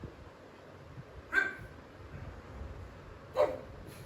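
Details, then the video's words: Jealous pet pug reacting fiercely to pugs and other dogs shown on television, treating them as intruders in its territory; two sharp, loud single barks about two seconds apart, with quiet room noise between. "Pug vs pug & other dogs"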